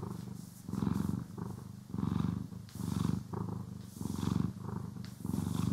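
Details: Domestic cat purring while being groomed and brushed, recorded in stereo: a deep, rumbling purr swelling in roughly one-second pulses with each breath, broken by soft brushing swishes.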